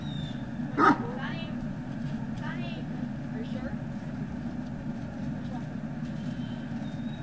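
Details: Great Dane puppies at Puppy Hill on 18 November 2018, afternoon: one sharp loud yip early on, then a couple of faint falling whines against a constant low hum.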